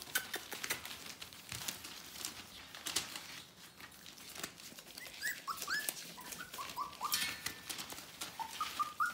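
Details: Whimpering from a litter of Bohemian Shepherd pups about to turn four weeks old: sharp clicks and taps first, then a string of brief high whining squeaks, some rising, some bending down, repeated through the last few seconds.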